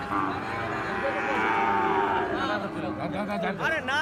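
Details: Gir and Sahiwal cattle at Ambari market, a twice-weekly Friday and Monday haat; one sustained, even moo fills most of the moment, fading into men's voices and bustle at the end.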